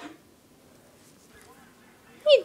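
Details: A ten-month-old female Basenji, jealous of attention given to another dog and squirming on her owner's lap, gives a short, loud, falling yodel-like howl after a quiet stretch.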